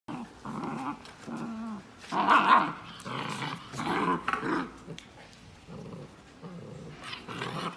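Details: Samoyed puppy playing with visiting guests indoors: bursts of rough, throaty growls and grumbling play noises, some rising into higher yelping tones, coming in short rounds about every second.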